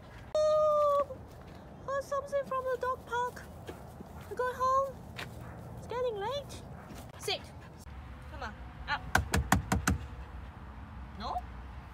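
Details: Samoyed puppy named Whiskey, resisting being taken home after commands to sit and wait: several bursts of high, wavering, harmonic whines and howl-like yowls in the first half, then a few sharp clicks, with a person's voice and outdoor background.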